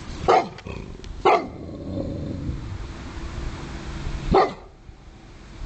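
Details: Dog that fears water, having been in the ocean just once, gives three sharp barks, the first two about a second apart and the last after a three-second pause, over steady low rumble with a faint human voice.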